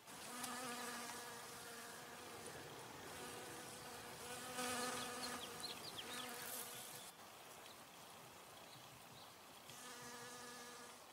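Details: Honey bee taking nectar from a flower: a droning hum that comes and goes in bursts of a few seconds, with brief high twittering birdsong partway through.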